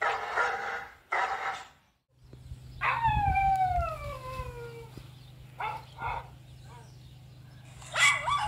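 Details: Black-cape German Shepherd reacting to played recordings of barking and howling dogs: two rough barks, then a drawn-out falling howl-like whine over a steady low hum, followed by further short barks.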